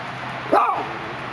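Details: A single brief, sharp bark from a Dachshund watching through a gate in Los Angeles, set against a constant low city background rumble.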